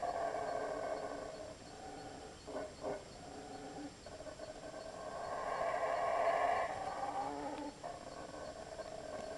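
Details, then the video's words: Monkeys moving through jungle at Belmopan, Belize, 2006, give a rough, droning roar that breaks into two short grunting pulses near the third second, then swells again into a louder, rasping chorus before tapering off. "Sound of Monkeys passing through"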